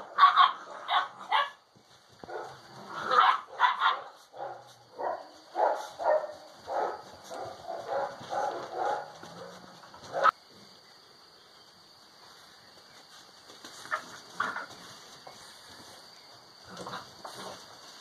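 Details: Alano Español puppies, six weeks old, playing together in a kennel while developing social behaviour; a run of sharp puppy barks and yips, irregularly spaced, then a quieter stretch with a few softer yaps.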